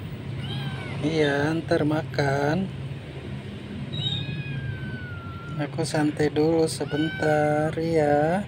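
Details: Jakarta street kitten, one of the stray cats fed every day, crying in insistent bursts: quick strings of harsh, wavering meows, a pause with a thin drawn-out whine, then another run of loud repeated mewing over steady low traffic-like rumble.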